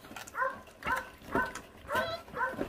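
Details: Feral dog puppy, about thirty days old, from a litter whose stray mother does not care for her young, filmed while eating; five short tonal whining yelps sound roughly every half second, each bending slightly in pitch, over low scuffling noise.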